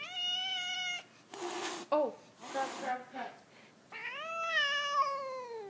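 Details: Adult domestic cat indoors, territorial toward a new kitten, gives long drawn-out wavering yowls at the start and again at the end, rich in harmonics and slowly falling in pitch, with a woman's voice talking between them.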